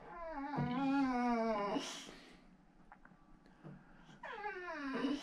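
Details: Male Boxer dog from outside Landskrona, southern Sweden, indoors, asking for a squeaky toy placed out of reach: a long, high, wavering whine, a pause, then another rising whine, while a woman sympathises.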